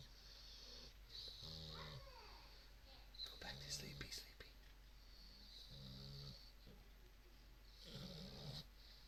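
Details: Two English Bulldog puppies snoring in deep, rattling rumbles that recur every two to three seconds.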